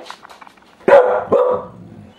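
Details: Pet dog, described as a happy dog growling half-heartedly, here giving two short barks after faint low grunting; indoors in a hallway.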